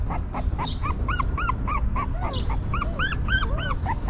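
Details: Stray mother dog's newborn puppies whimpering as she keeps them warm and fed: high arched squeaks in quick succession, with a few softer, lower, falling whines in between and a low rumble beneath.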